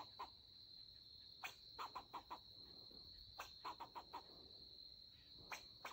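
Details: An extremely rare melanistic black fox squirrel, a male, angrily defends his territory against a person tracking deer, giving harsh, barking alarm notes in quick bursts over a steady cricket-like drone.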